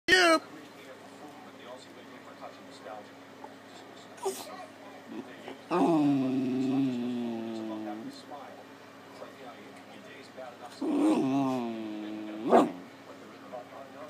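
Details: Max, a puppy, 'talks' while begging for a dinner plate to lick indoors: two drawn-out, wavering, howl-like moans a few seconds apart, with a short yip before them and quiet room noise between.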